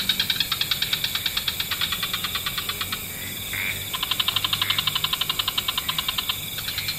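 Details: At dusk in wetlands, frogs of several species give rapid trains of high, clicking pulses, broken briefly by a short tonal note.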